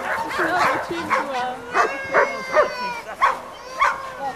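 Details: Black Giant Schnauzer named Amos giving sharp, harmonic barks in a steady series, roughly two every second, with voices underneath.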